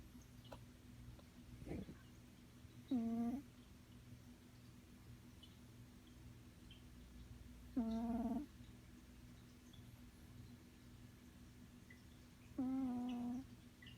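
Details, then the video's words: Natasha, a pet cat, snoring indoors: three tonal, nasal snores with a steady low pitch and stacked overtones, each about half a second long, coming roughly every five seconds over a quiet room hum. "Kitty snoring"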